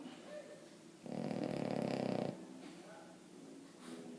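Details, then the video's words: A Boston Terrier called Emma Mae asleep, producing a single loud, buzzy, rattling snore just over a second long, bracketed by quiet breathing. "Emma Mae snoring"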